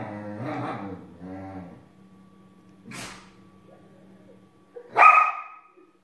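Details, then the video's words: Belgian Shepherd Groenendael, jealous and grumpy, growling at a husky for not sharing the couch: low rumbling, harmonic growls in two bursts over the first two seconds, a quiet hum, then one sharp, loud bark near the end. "Belgian Shepherd Groenendael is growling at Husky for not sharing the couch with her"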